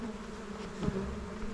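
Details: Buzzing honey bees at a small beehive during honey hunting, an even, continuous low drone with a fainter overtone, broken once by a brief thump of handling noise.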